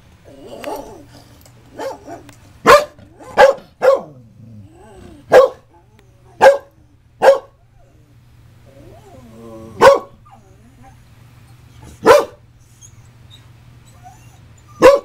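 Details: Female Scottish Terrier indoors barking at her own image on a screen: sharp, loud single barks, about nine across fifteen seconds, some in quick succession, with softer grumbling sounds between them and a steady low hum.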